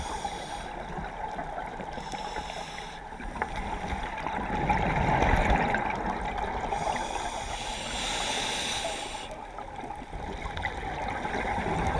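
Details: Underwater ambience of bubbling and gurgling water with a steady hum and periodic swells of diver breathing noise; no clear animal sound.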